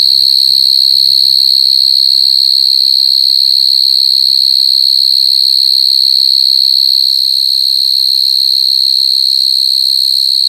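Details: Unwavering high, whistle-like buzz from crying coconut crickets, layered with fainter overtones. Low murmuring voices sound in the first two seconds and again briefly around four seconds, over soft background thumps.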